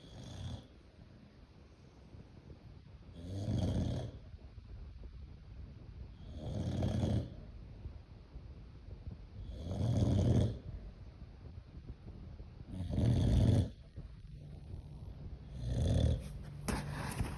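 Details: Boxer named Tyson, described as a German Boxer, snoring while asleep: deep, low rumbling snores repeating roughly every three seconds, six breaths in a row, with quiet breathing between them.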